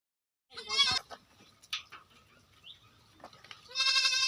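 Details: Goats at a goat farm in West Bengal, India: two loud, harmonic, wavering bleats at the start and end, with quieter scattered bleats and farm noises in between.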